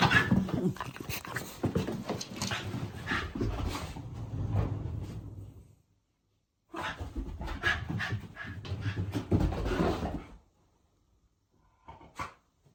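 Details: Female Shiba Inu, happy on learning her brother is staying over, at home in the countryside: rapid, uneven breathy panting in bursts, broken by a pause of silence, with a faint whimper-like squeak near the end.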